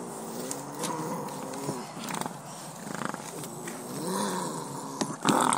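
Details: A wild rehab bobcat named Clover, resisting being netted and vaccinated by four caretakers, gives wavering low growls and yowls that rise and fall, with rustling, clattering and a sharp bang near the end.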